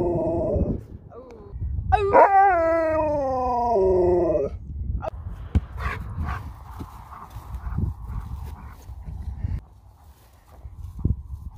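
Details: Sherpa, a pet Alaskan Malamute reacting as a girl is taken home: a low moan, then a long loud wavering howl that slides down in pitch, followed by quieter whines with household noise and faint voices.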